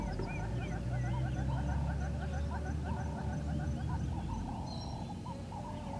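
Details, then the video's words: At Gowrie dam in South Africa's Djuma Game Reserve, Sabi Sand Wildtuin, a live waterhole camera catches African wild painted dogs on a morning, 07:23, 22 April 2020. Many brief, bird-like squeaky chirps repeat quickly together, with a continuous low background hum. "Sights and sounds with the African Wild Painted Dogs"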